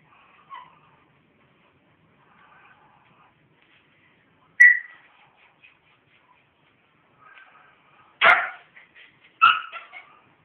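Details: Pet pit bull named Brando gives a single sharp yelp-like bark, then two more loud barks close together some seconds later, with soft background murmurs.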